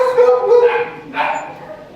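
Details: Mangy shelter dog giving a brief, tonal whining yip that holds steady then breaks into a second, rougher yelp, in an indoor kennel setting.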